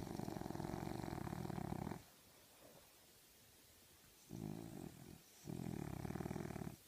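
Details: Sleeping French bulldog, dreaming, gives deep, raspy snores: one long rasping breath, a gap, then a short snort and another drawn-out rattling snore.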